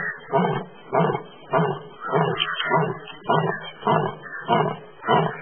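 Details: An Asiatic lion in the Gir forest, India, roars while sleeping: deep, breathy grunting pulses repeated steadily, about nine in under six seconds, each a short rasping burst.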